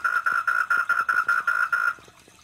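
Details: Wild tree frog, Polypedates leucomystax, known locally as bencok, gedindang or perkak, visiting a koi pond. It gives a rapid series of about eight loud, even, pulsed tones, roughly four per second, which then stop abruptly, leaving faint background sound.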